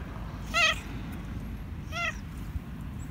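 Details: Two clear, short meows about one and a half seconds apart from a black and white cat that wants food, over a quiet room.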